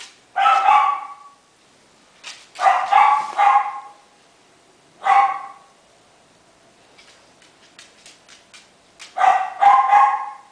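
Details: Twenty-eight-day-old male Miniature Schnauzer puppy from Shizuoka, salt-and-pepper coat: sharp high yelps, single and in pairs, every one to two seconds, with light clicking and scratching during a quieter stretch.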